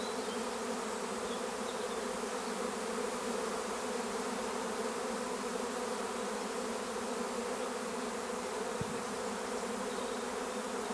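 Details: Swarming honeybees recorded at Longué-Jumelles, France, near fir trees, urged to gather in a cluster: unbroken low collective hum of many wings, steady in loudness, with a brief soft knock near the end.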